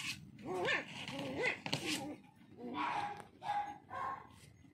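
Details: Toy Poodle puppy giving high, wavering whimpering yelps in short rising and falling bursts, several in a row with brief pauses, faint human voice underneath.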